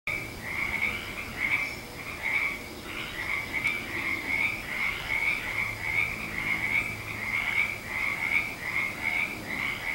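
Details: A dense frog chorus of high, trilling croaks pulses over and over without pause, recorded on 19 February 2020.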